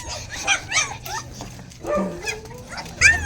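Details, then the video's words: Hungry puppies of a dog named Zoey crying indoors, several short high whimpers and yelps arching up and down, overlapping one another, with a person talking softly nearby. "Umiiyak na ang mga puppies mo, Zoey, gutom na sila"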